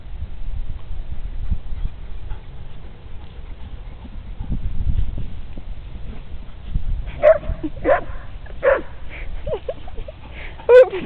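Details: Two Briards, Molly at 18 months and Fred at 7 months, playing on the green outdoors; after a stretch of low rumbling wind, a run of short, high, whining yelps and yips comes in quick bursts near the end.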